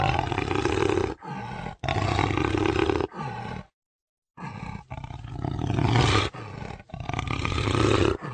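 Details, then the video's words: Jaguar giving deep, harsh roaring calls in long rasping bursts of about a second each, separated by short pauses, with one clear silent gap midway. "real jaguar sound"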